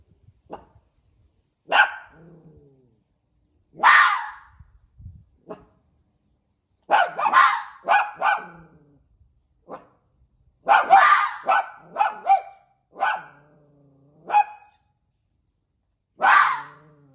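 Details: A fox raised with a dog tries to bark, giving sharp, raspy, dog-like barks in uneven bursts of one to three with pauses between, several ending in a thin, nasal whining tail.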